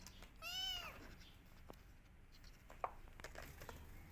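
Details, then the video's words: A kitten calling for its missing mother gives one loud, arched meow with bright harmonics near the start, then quiet room background with a few small clicks. "Cute Kittens Crying For Her Mother || Cute Cat baby Missing Her Mother"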